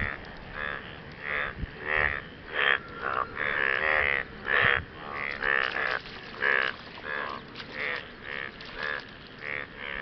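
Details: Frogs calling to partners after rain, a series of short, rasping, pulsed croaks of about half a second each, spaced irregularly and overlapping from several callers, with a few low thumps underneath.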